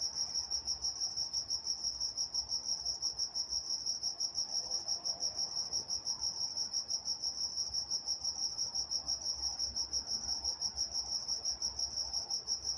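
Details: Crickets chirping after dark in Walnut, California, an unbroken high-pitched pulsed trill at a steady rapid beat, accompanied by a faint higher tone and soft low rumble.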